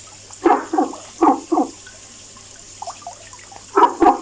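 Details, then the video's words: Frog calling, heard every day; short, hollow, knocking croaks in pairs and small groups, with quiet gaps between bursts and a faint steady hum underneath. "FROG SINGING VOICE making noise haha."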